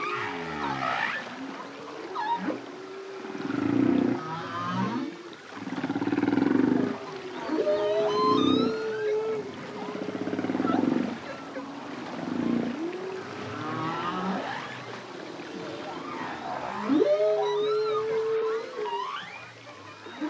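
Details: Lone male humpback whale in song: deep, bubbling pulsed groans and moans swell and fade, broken by wavering whoops and a long level tone toward the end, all with a reverberant watery echo.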